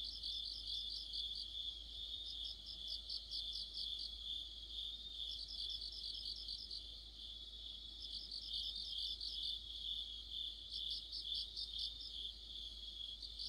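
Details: Crickets and fellow insects singing together in deep autumn near a street lamp, a constant shrill tone beneath bursts of fast pulsed trills that swell and pause every few seconds, layered voices forming a continuous chorus.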